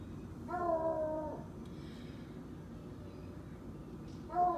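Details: Treeing Walker Coonhound named Cletus, pretending to be a hunting dog, gives a drawn-out, level howl of about a second, then starts another toward the end, over low indoor background hum.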